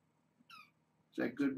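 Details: Young kittens of the brown tabby Janine at Purrfect Pals, in rambunctious morning play before breakfast, hungry for feeding; one short, high, harmonic mew, then two louder voiced bursts in a small room.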